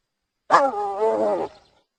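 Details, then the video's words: Hyena giving a single drawn-out, wavering groan with strong overtones, lasting about one second and starting abruptly; no other sounds. "Hyena Sound صوت الضبع"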